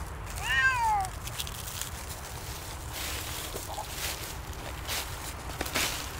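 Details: Siamese cat, Otani or Yozora, walking off-leash in a cold winter forest at sunset. One clear, loud meow drops in pitch within half a second, followed by crunching footsteps and outdoor wind noise.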